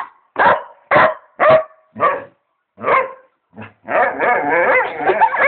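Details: A pet dog barking and making funny noises: five or six sharp, separate barks spaced under a second apart, then a drawn-out, wavering, moaning vocal run with rising and falling pitch.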